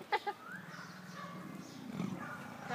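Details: Big cats at a zoo growling at each other, a low, rough, rumbling growl that swells and holds, after two sharp knocks.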